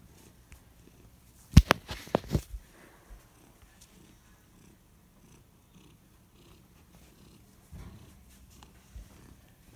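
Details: A domestic cat purring: a low, steady rumble held close to the ground of the sound, with a short burst of loud clicking knocks around two seconds in and quiet room noise throughout.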